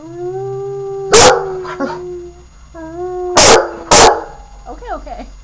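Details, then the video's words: Puppy howling: steady, level tonal howls held for over a second each, broken by loud sharp knocks, ending in short wobbly yelping notes. "howlin pup-a-lup"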